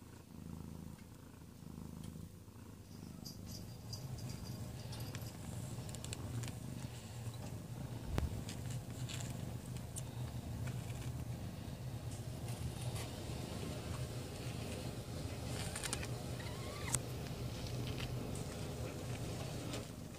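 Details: Domestic cat Amber in labour on 22 February 2017, giving birth to a litter of four kittens between about 7 and 11:30 in the evening; a steady, low rumbling purr runs unbroken throughout, with faint clicks and rustling above it.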